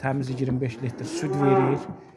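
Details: First-calving cow with her male calf, offered for sale in Azerbaijan, giving a short, deep two-part moo, the second part louder and slightly higher, with a man talking around it.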